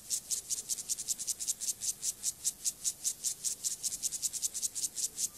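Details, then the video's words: Gomphocerus sibiricus, an acridine grasshopper, stridulating during sexual behaviour; steady rasping pulses, high and hissy, repeated about five times per second with even rhythm through the whole stretch, no other sounds. "Sexual behavior • comportamiento sexual • grasshopper • saltamontes • Gomphocerus sibiricus"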